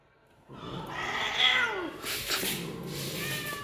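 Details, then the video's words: Persian cat, a female during mating with a punch-face male, giving a drawn-out caterwauling meow that slides downward over about a second, then broadband rustling noise. "persian sami punch face female mate peki face"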